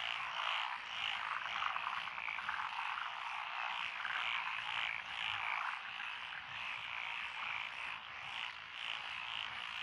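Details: Country road beside lotus paddies in Echizen, Fukui, Japan, recorded 12 June 2021. Japanese tree frogs, wrinkled frogs and other named frogs join a crowded chorus. Overlapping rasping croaks repeat roughly twice a second, with pitch and loudness shifting throughout.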